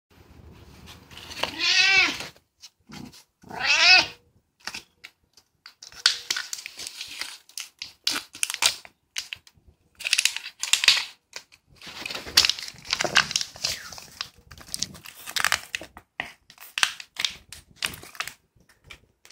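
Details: Domestic cat offered a cube-shaped shark-meat treat: two drawn-out, rising-then-falling meows early on, followed by a long run of quick clicking, crunching chewing sounds indoors.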